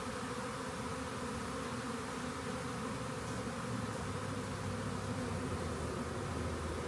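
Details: Swarm of honey bees found beside a rain gauge before being collected; a steady, low droning hum of many wings runs unbroken throughout, layered with several sustained tones over a soft broadband hiss.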